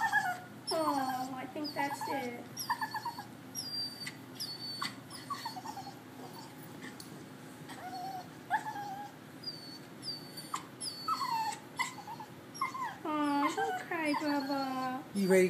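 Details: A Bichon Frise cries like a baby on the Fourth of July, with repeated pitched, falling whimpers and whines growing more intense toward the end, mixed with a woman talking gently to the dog.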